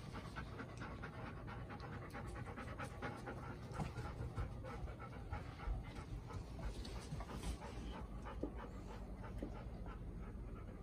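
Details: Household Golden Retrievers Bis, Ibuki and Kohaku; Bis, a four-year-old female, is tense the day after meeting her mother again. Rapid, continuous breathy panting fills the recording against a steady low background rumble.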